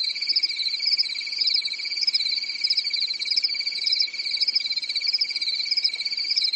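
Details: On a calm European summer night, forest crickets keep up an unbroken shrill chirping, a fast pulsing high layer above an even ringing tone, with slight swells in loudness and no other sounds.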